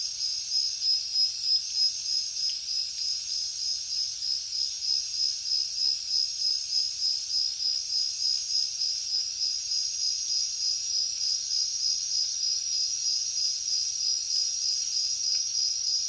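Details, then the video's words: Crickets chirping steadily, a shrill high trill repeating in very regular pulses roughly three times a second, accompanied by short glittering higher bursts throughout. "Crickets Nature Sound"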